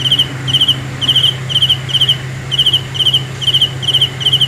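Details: Cricket chirping at night, steady high pulsed chirps repeated about twice a second, each a short trill of several pulses, over a constant low hum.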